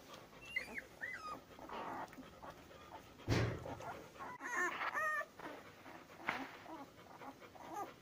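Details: Labrador Retriever puppies, ten days old, give curling, sliding squeals and whimpers in short clusters, with a sharp thump and scuffling noise between the calls.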